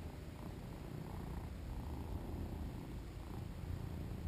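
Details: Two-year-old male British Shorthair named Shinobi, a very vocal cat, at play and recorded on a GoPro: a steady low rumbling purr runs throughout, even and unbroken, with soft higher rustling above it.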